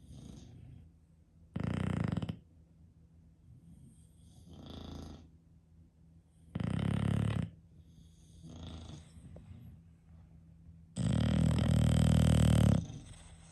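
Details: Sleeping English Bulldog, from a household of five bulldogs, giving a series of deep, rattling snores every few seconds, short bursts alternating with softer wheezy inhales, the last snore longest and loudest.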